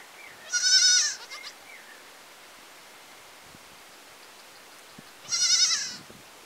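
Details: Goat in a village giving two bleats, a second or so each, about four seconds apart, high and nasal with stacked harmonics, over a quiet background with faint hiss.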